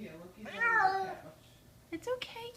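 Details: Horrified kitten indoors, summer 2014, after being carried upstairs: one long, loud, bending harmonic wail, followed by short clicks and a person's speaking voice.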